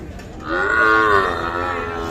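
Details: Sahiwal bull calf, about three to four months old, at a cattle market in Bangladesh; a single loud drawn-out moo, rising then holding steady, with faint background chatter.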